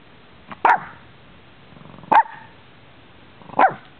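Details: Three punchy barks roughly a second and a half apart, from playful interacting dogs, mix breeds, Lhasa Apso and Shiba Inu, filmed in Bonita Springs, Florida, December 2011; faint rustling in between.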